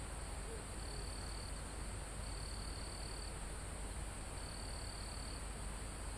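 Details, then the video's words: Crickets and other insects in a calm forest almost at the top of a mountain, recorded live: a steady high insect hiss with three second-long shrill trill bursts, over a low rumble of wind in the foliage. "Calm Forest in Mountain With Crickets, Insects Sound"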